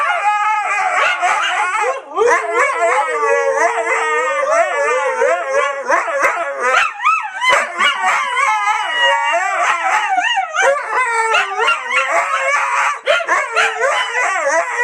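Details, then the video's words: Siberian Husky puppy in an animated bout of howling, the voice wavering and warbling rapidly up and down in choppy, yodel-like bursts, mixed with short yips and sharper bark-like accents throughout. "OUÇA O SOM DO CACHORRO HUSKY SIBERIANO UIVANDO 🐕 HEAR THE SOUND OF THE SIBERIAN HUSKY PUPPY HOWLING"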